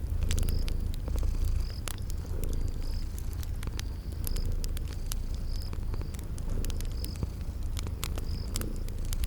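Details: Soft rhythmic purring from sleeping cats, a low drone that rises and ebbs, layered with crackling fire pops and recurring short high chirps of insects.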